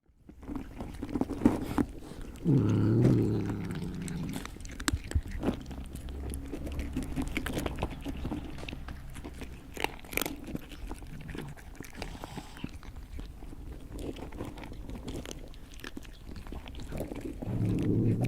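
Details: Cat or other animal eating indoors: irregular wet crunching and smacking bites, roughly three per second, with a soft low rumble near the start and end.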